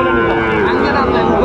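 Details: At Raniganj market in Dinajpur on 29 August 2024, a Sahiwal bull calf lets out a brief, steady, tonal lowing amid constant crowd noise and overlapping voices.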